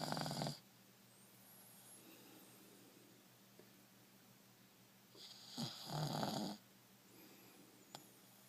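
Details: Buster, a one-year-old male dog, asleep with his head resting on a shin as a pillow, snoring loudly: two raspy, rattling snore breaths about five seconds apart, with near silence between them.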